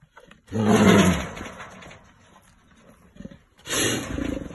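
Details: A caged brown bear, described as aggressive, gives two deep, rough roars, each about a second long, with a quiet pause between.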